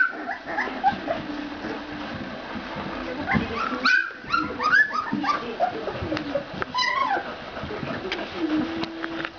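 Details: A litter of 14-day-old Ca de Bou puppies whines and whimpers. Thin, wavering cries rise and fall, with a few sharper squeals near the middle over a soft background of low grunts.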